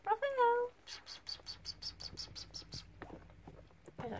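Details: Devon Rex kittens at Maystar playing gently at the start of a Monday: one short, clear meow sliding down in pitch, followed by soft clicking and rustling and a person speaking quietly.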